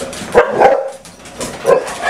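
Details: One of six house dogs, among them Buddy, Pudge and Sandy, sounding off on a typical morning indoors; two or three clipped barks with a pause between, a human voice nearby.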